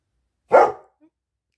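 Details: A German Shepherd indoors, avoiding doing what he is told, lets out a single short, loud bark, then falls silent.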